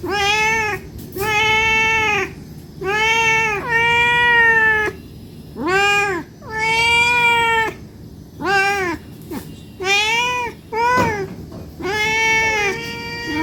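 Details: Hungry domestic cat meowing for food almost continuously, a series of long steady meows, several over a second, with brief gaps and a few short squeaky calls between, over a low background hum.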